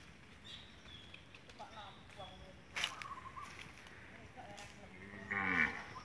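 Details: Female Peranakan Ongole cow giving a short, loud, harmonic moo near the end, preceded by scattered clattering and faint background sounds.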